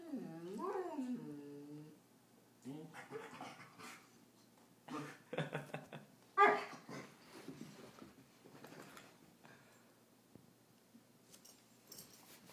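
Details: Bernese Mountain Dog puppy lying down, indoors, grumbling at being recorded: a drawn-out, wavering whine-like moan near the start, then short low grumbles and huffs, with quiet human voices saying no.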